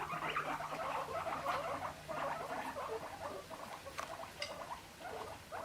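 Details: During a tense introduction, several guinea pigs chatter angrily, with rapid, dry, clicking bursts repeated in quick succession as a sign of aggression; one has its neck hair puffed up.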